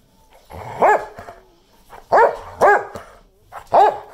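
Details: English Springer Spaniel, 11.5 years old, attacking: four sharp, loud barks with a rising-then-falling tone, spaced unevenly about half a second to a second apart, with softer huffs and rustling between them.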